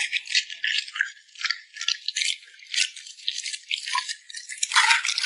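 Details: Short close-up of a puppy smacking its lips while eating: quick crisp wet smacks in uneven bursts with short pauses between them, ending in a louder flurry.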